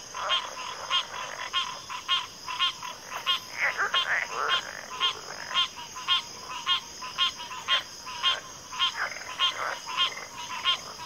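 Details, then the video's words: Dense chorus of frogs giving loud, rattling croaks in a regular pulse near two per second, with overlapping calls from other frogs and a continuous shrill insect drone behind. "FROGS - Pig Frogs, Water Frogs, Backwater Chorus, & Frog Chorus"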